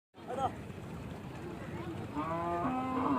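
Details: Cattle being brought by trawler boat to Aricha market, bought at the market and now carried across the water: a drawn-out low moo with rich harmonics rises near the end, after a brief higher call. Background murmur and engine-like rumble.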